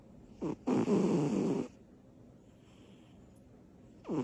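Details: Butters, a little female cat, sleeping after her energy bursts; a short snorting breath followed by one long rough snore, then near silence before another breath begins.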